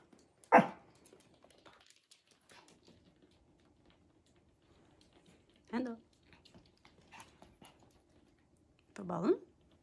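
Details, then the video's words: A Pomeranian barks at a bird indoors, giving three sharp, high yaps, each a single burst several seconds apart, against a quiet background. "Barking Dog vs bird"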